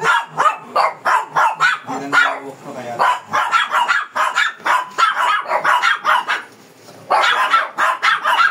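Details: An aggressive Shih Tzu protests during grooming in Pangasinan with fast, repeated sharp barks, several per second, pausing briefly for about half a second near the end before resuming the same frantic rhythm; people talk faintly behind.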